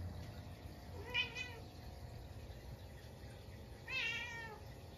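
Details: Munchkin cat at home at midnight on a snowy day, reacting to a stink bug that wandered inside: two clear drawn-out meows about three seconds apart, the second longer and falling, over a low room hum.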